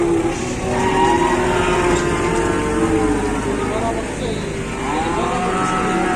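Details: Lowing from cattle brought to a market in Indonesia ahead of slaughter, with drawn-out moos near the start and again mid-way, partly drowned by vehicle noise and people talking nearby.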